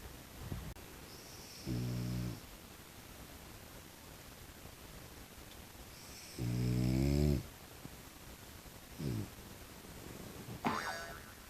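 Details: Tiger brindle French Bulldog at home in daily life, giving two low buzzy snoring snorts about five seconds apart, the second longer and louder, with short softer sniffs and a faint click between them indoors.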